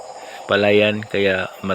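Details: Frog calling at night close to a house: three low, flat, nasal croaks, each about half a second long, over a steady background hum of insects.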